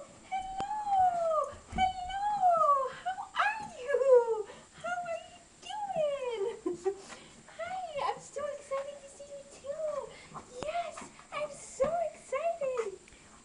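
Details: Excited puppy Brady greets a familiar person indoors with a long run of eager, bending whines and squeaks, several each second, while a woman talks to him in a soft, cooing voice.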